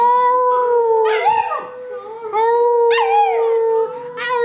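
A Cocker Spaniel puppy howls in short, wavering bursts over a steady sustained musical note.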